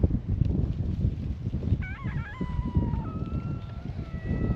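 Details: A stray cat at an island cat gathering welcomes a visitor. It gives one short, wavering meow midway, then a faint trailing call. Steady low outdoor noise fills the background.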